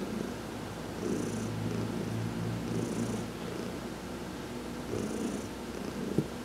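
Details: Heidi, a pet cat, purring while being massaged during a sun bath on November 19, 2020; a steady low rumbling purr with louder swells about every two seconds, each paired with a soft higher hiss of breath or rubbing.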